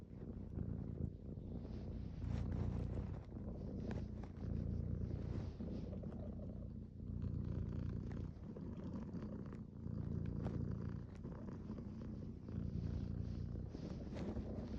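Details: Domestic cat giving a deep, continuous purr, rumbling in regular alternating breath phrases of roughly two seconds each, close and steady throughout.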